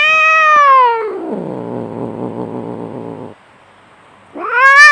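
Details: Fighting cat: a sharp high yowl slides down into a rough, grating growl lasting about two seconds, and after a short pause a fresh shrill cry climbs again.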